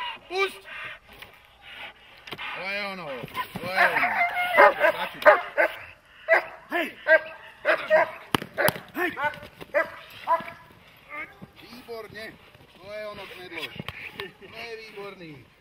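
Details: Dogs such as German Shepherds or Malinois during protection training, giving loud, sharp barks in irregular bursts, some clustered rapidly, with human voices shouting in between.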